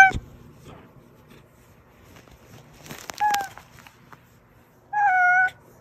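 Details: Oz, a pet cat whose meow draws its hiding housemates Meonji and Dubu out, gives a short meow midway and then a clearer, slightly falling meow near the end. The rest is quiet apart from a sharp click at the start.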